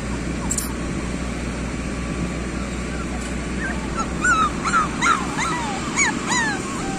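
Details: Street dog puppies letting out a burst of short, high yelps and whines in the second half, quick and irregular, after several seconds of steady hiss and low hum.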